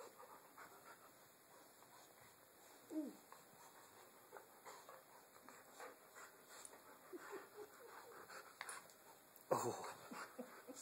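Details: Two pet dogs, Chewy and Tucker, tussle over their rope indoors, Tucker mouthing the rope and nipping at Chewy's leg; scattered panting and gruff play noises, a sharp burst near the end, with a person's voice faint at times.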